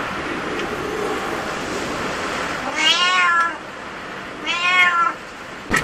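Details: Cat at a cat cafe: two clear harmonic meows, the first rising then falling near 3 seconds, the second about 4.7 seconds, each under a second long, over steady low background hum and a sharp click at the end.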